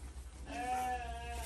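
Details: Goat during feeding gives one steady, drawn-out bleat of about a second, nasal and slightly wavering, over a low background hum.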